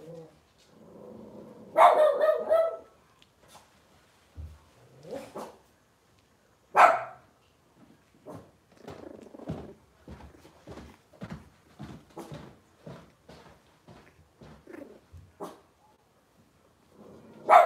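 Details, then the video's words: Indoor Cavalier King Charles Spaniel puppies from a single litter: a loud yelping squeal, then a long run of short soft whimpers and grunts repeated about once a second, with another sharp yelp near the middle and one at the end. "Cavalier Puppy Live Stream: Robin's Puppies"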